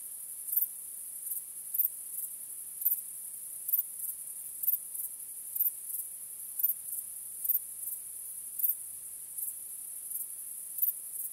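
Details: A chorus of crickets on a starry night: shrill, continuous high-pitched chirping, with louder pulses coming roughly every second over a quiet background.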